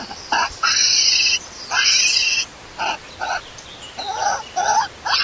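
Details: Baby monkey Lori left alone by an angry mother, crying loudly for milk: long piercing screams lasting nearly a second, then a string of shorter sobbing yelps and wavering whines.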